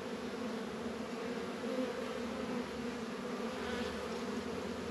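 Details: Many honey bees droning steadily around their hives during a warm 72-degree February day in a northern Kentucky apiary; smooth unbroken hum, slightly swelling near two seconds, with faint hiss above.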